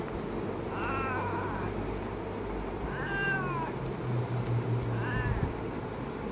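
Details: A cat gives three short, wavering meows spaced about two seconds apart, set against a constant low hum and faint background noise.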